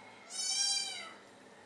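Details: High, drawn-out meow from a British Shorthair kitten eating Whiskas wet food for the first time, rising then sliding down over about three-quarters of a second in a quiet room.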